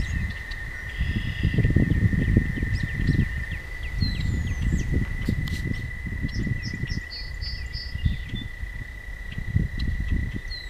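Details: Toads trilling at night on a walking path, one continuous even-pitched buzz lasting the whole stretch, set against constant low rumbling noise and brief faint chirps of birds higher up.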